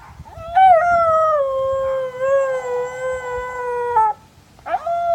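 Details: Siberian Husky Odin in Madison, WI gives a long, smooth howl sliding gently downward, then starts a second rising howl, howling in reply to his buddy dog barking down the street.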